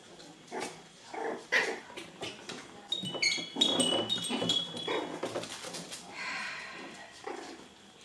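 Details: Seven-week-old poodle puppies at play indoors, giving high thin whimpers and squeaks in short bursts, with a few brief yips, scrabbling and thumps from their romping, and a person's voice faintly in the background.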